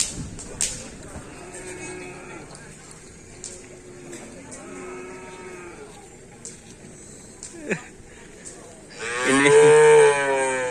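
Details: Madura cattle during karapan sapi bull race training at a field in Asemanis; faint crowd noise and sharp knocks, then a loud, drawn-out harmonic moo in the final second and a half.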